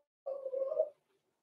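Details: Six-week-old blenheim Cavalier King Charles Spaniel puppy, one of a small litter born November 14, 2022, in an indoor puppy pen: a single short, steady whine under one second with a faint harmonic above, then silence.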